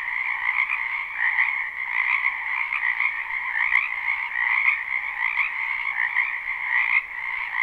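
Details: Frogs chorusing in a wetland during spring, live and unlooped: unbroken rasping croaks layered over one another, swelling and easing in rough pulses about once a second.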